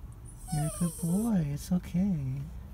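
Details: Sad, crying dog whining: a series of short, nasal, wavering whimpers, some rising and falling in pitch, with strong harmonics and brief gaps between them.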